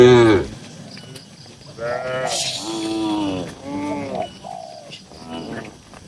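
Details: Tame cattle inside a crowded livestock barn: a loud opening bellow, then a series of softer, lower moos and grunts spaced about a second apart amid stable noise.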